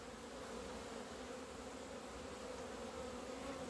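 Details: On 17 February 2020, after two months indoors for winter, honey bees finally leave their hive into the sunshine; a continuous low hum of many wingbeats with a clear higher overtone, holding steady with no pauses.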